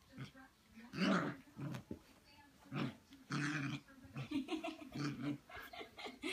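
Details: In a small room in Austin, Texas, a six-week-old Siberian Husky puppy squares off against its mirror reflection, giving a string of gruff, throaty growls and rasping yaps that follow one another almost without pause.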